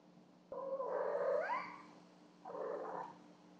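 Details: Cleo and Annie, two house cats, call out during their nightly ritual of bringing presents, captured on a Yi Home Security camera with the hall light on: a long drawn-out yowl that bends upward in pitch, then a shorter, lower mew after a pause, over a steady electrical hum.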